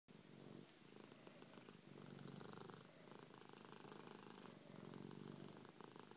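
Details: A 3-year-old male Persian cat lying on a person's chest purrs loudly in a deep, continuous rumble. The sound swells and fades in roughly two-second waves with each breath, and no other sounds are heard.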